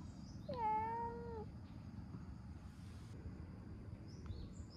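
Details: Stray orange tabby cat, fond of petting, enjoying a massage and giving one long, steady, harmonic-rich meow, followed by quiet with faint background hiss and a few soft clicks.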